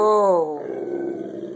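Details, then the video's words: A Rottweiler barks at a chicken baking in the oven, giving one short, deep, harmonic bark-growl that falls in pitch, then fades into a lower rough rumble; a person's voice is heard around it. "Rottweiler's afraid of the chicken"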